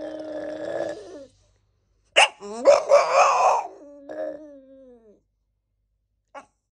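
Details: A French Bulldog that cannot stand cats gives a drawn-out whine, then a burst of harsh, yelping barks and grumbles.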